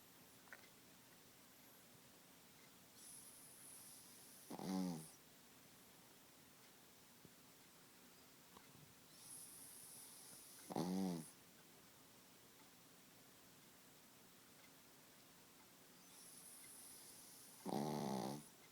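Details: Sleeping Pekingese, a small dog, snoring loudly: three rattling snores about every six seconds, each preceded by a soft airy inhale, with quiet room tone between.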